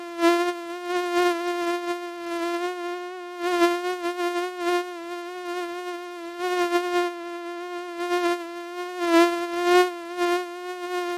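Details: A common mosquito gives a steady, high whining hum, holding one pitch with slight wavers.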